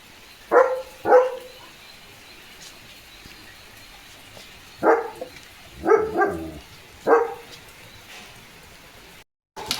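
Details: Pet German Shepherd Leo romping in the rain during his morning routine: six punchy barks in two bursts, an early pair and then four spaced about a second apart, over a constant background hiss.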